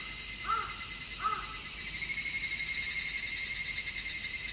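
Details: Midsummer cicadas in stereo via an MKH-416 microphone: a continuous shrill high whine at constant loudness. Two hoarse caws from a bird break in during the first second and a half.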